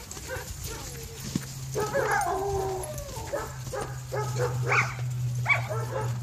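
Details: German Shepherds, with one Aussie and one black lab, aged 11 weeks to 12 years, romp together at a crowded bi-monthly play date. Whining tones and scattered yelping barks overlap, with a steady low hum and human voices beneath.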